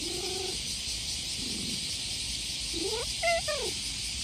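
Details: Stray cat giving soft meows while stroked in summer: a faint, level mew, a quiet low one, then a clearer rising-and-falling meow near the end, all set against a dense, continuous chorus of cicadas.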